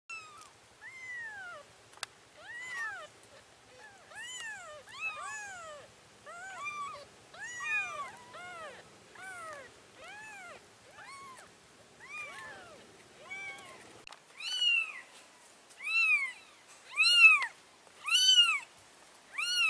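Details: Domestic cats, a mother carrying her four kittens to a new place: high, arched, harmonic meows repeated roughly once a second. They are soft at first and grow louder and more spaced toward the end.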